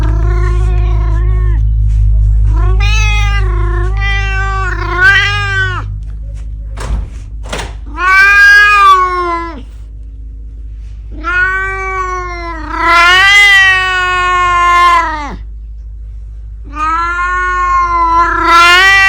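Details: Domestic cat vocalizing after a trip to the garden: a run of drawn-out, harmonic meows, some wavering and rising, in irregular bursts with short gaps, over a steady low hum and a couple of sharp thumps.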